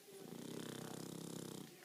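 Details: Pet pug sound asleep, producing one continuous snore of almost two seconds, a coarse, vibrating rattle with rapid regular pulses that swells and then eases off.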